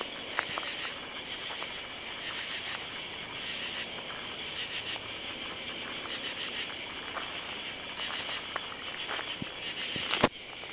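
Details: Katydids call at night on July 31 under oak trees in a side yard and along a driveway, in a steady, raspy, high-pitched chorus of rhythmic pulses.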